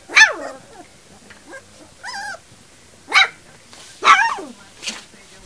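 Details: Three-week-old puppies giving short high yips and squeals in bursts about once a second, mixed with a person's encouraging voice calling them to come.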